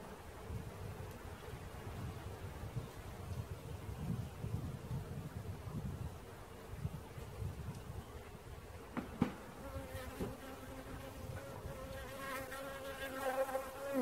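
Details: Bee swarm being caught: a steady, droning hum at a near-constant pitch with rough low rumble beneath. In the last few seconds it grows denser and layered, with several overlapping buzzing tones and a sharp knock partway through.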